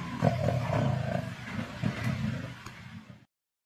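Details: Lions of the Kambula Pride in a feeding frenzy, 16 February 2024, Sabi Sands, Kruger area: deep rumbling growls and snarls overlapping for about three seconds, louder at the start, then fading out abruptly.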